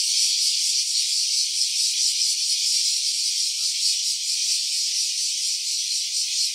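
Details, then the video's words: Cicada calling, recorded in stereo on a mobile phone: a dense, continuous high-pitched rasping buzz with a slight pulsing shimmer, holding steady at constant loudness throughout with no pauses. "Cicada's voice."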